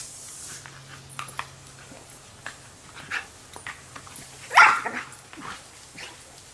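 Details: Australian Shepherd chasing water from a hose, giving one sharp bark midway amid scattered soft yips, with a steady low hum and hissing spray in the background.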